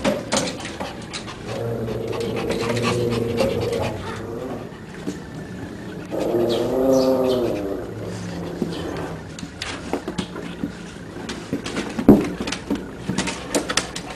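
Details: Three-week-old puppies with their mother: two drawn-out, wavering whines of about two seconds each, amid rustling, clicks and handling noises.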